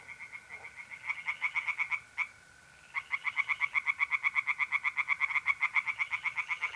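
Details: North-east Italian pond at night, mid-April: tree frogs give quick rhythmic croaking pulses that pause briefly, then return louder and steadier, while a mole cricket trills continuously.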